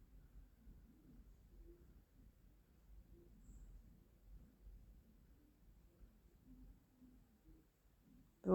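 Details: A relaxed female domestic cat purrs while being stroked during a rest by an open window, a quiet, deep rumble that swells and fades in a slow breathing rhythm; a sharp knock cuts in at the end.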